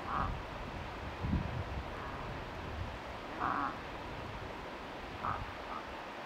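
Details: Cow moose near a lured five-point bull in Tokke, Norway, giving short nasal bleats at wide intervals, three brief calls over steady low rumbling background noise.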